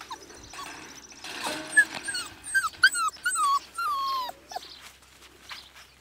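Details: Four-week-old Siberian Husky puppies, a litter from Nymeria and Deeks, whining in a run of short high falling whimpers, about one per second, several pups calling, ending in a longer drawn-out whine.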